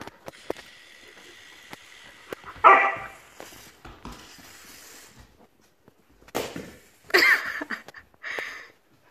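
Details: Puppy reacting to a YELLIES toy: three short, sharp barks spread across the clip, the loudest early and two more near the end, with scattered clicks and soft household noise between them.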